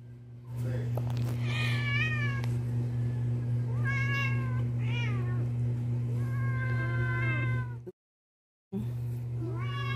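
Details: Jealous male house cat protesting while another cat sits on its owner's lap; a run of insistent, wavering meows, some rising then falling, repeated every second or so, with a brief silent gap and a constant low hum behind.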